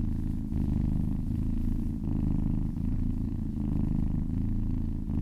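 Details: Kittens purring happily while being massaged: a steady, deep, rumbling purr that swells and eases with each breath, roughly every three-quarters of a second, with no other sounds.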